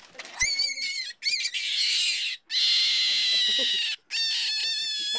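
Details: Rabbit at a ranch screaming after being picked up: loud, shrill, sustained harmonic screams in four bursts of about one second each, separated by brief silent gaps, with clicks at the start.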